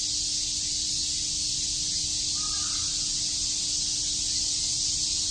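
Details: A summer chorus of cicadas in Shakujii Park, Tokyo: a relentless high buzzing hiss, with one brief faint call from another animal midway.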